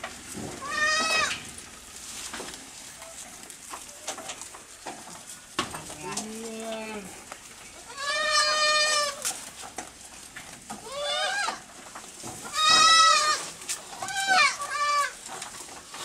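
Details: Small goats on a farm eating grass fast at evening; several wavering bleats spread through the clip, some loud and long, one lower nasal call, with munching and rustling between.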